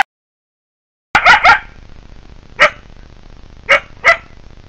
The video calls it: Coyotes - Wildlife - (Turn your audio on 11:41)